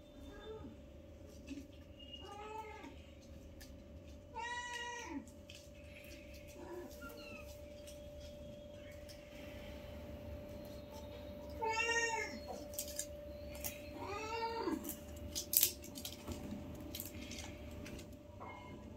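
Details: Newborn kittens, five in the litter, playing with their mother for the first time: high, arched, harmonic mews, several short ones in the first five seconds and more from twelve to fifteen seconds, over a low steady hum.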